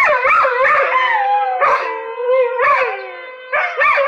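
A Vizsla gives loud alarm barks that stretch into yowling, howl-like cries.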